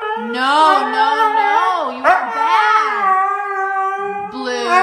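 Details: Siberian Husky throwing a fit about not going out, screaming in a long, continuous, wavering howl that swoops up and down, with a brief dip near the middle and a renewed high wail at the end.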